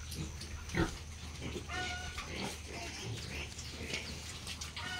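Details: Farm piglets among Hampshire, F1, British Landrace and Yorkshire pigs give quick grunts and thin squeals, one louder squeak early, against constant low machinery hum.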